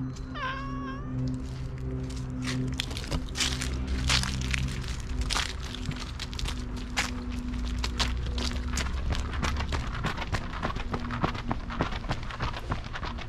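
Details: Two normally gentle cats, a brown tabby-and-white and an orange-and-white, furious at a Siamese cat intruding on their territory: a brief rising-falling meow, then long low moaning yowls under repeated sharp clicks and knocks.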